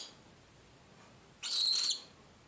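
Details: A pet animal screeching indoors: one loud, rasping, hiss-like screech of about half a second after a short silence, against faint room noise.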